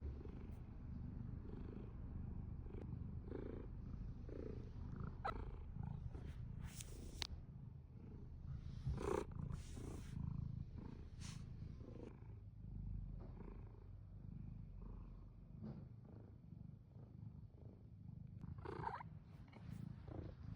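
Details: Domestic cat purring steadily, a continuous low rumbling throb with soft rhythmic pulses, broken by occasional brief rustling clicks and scratchy bursts around the middle.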